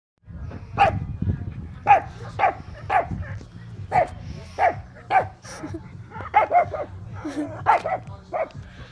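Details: A dog making what sounds like a funny laugh: short, hoarse, huffing barks repeated about every half second to one second, with a faint low hum in the background.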